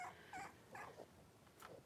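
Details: Litter of five blenheim Cavalier King Charles Spaniel puppies, three weeks old, born on New Year's, wrestling and playing in an indoor puppy pen; brief high tonal squeaks and whimpers, several short squeals within two seconds.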